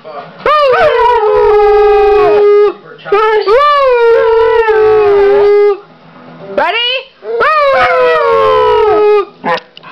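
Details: Pit bull and foxhound mix, a six-year-old female, howls on cue because she misses her owner's mother; three long, mournful harmonic howls, each rising sharply then sliding down and holding, separated by short breaths, recorded 5/9/09.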